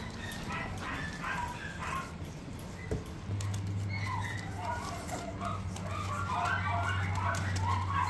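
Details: Little Miniature Pinscher puppies whimper and yip in short, wavering bursts throughout, growing busier toward the end, over a steady low hum.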